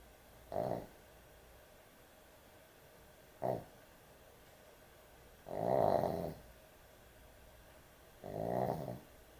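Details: Dog sleeping at bedtime with heavy snoring: two short snorts followed by two longer, louder rattling snores, each swelling then fading, in a quiet room.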